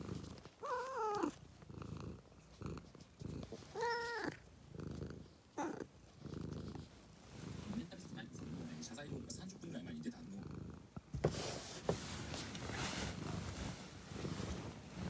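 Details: Domestic cat giving two short wavering meows near the start, each sliding downward, followed by a person talking and rustling, clattering household noise indoors.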